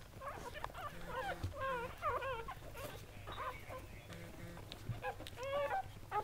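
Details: Mother Goldendoodle Sandy's seven newborn puppies keep up a chorus of short, wavering, high-pitched whimpers and squeaks, several overlapping at once, with a steady low hum underneath.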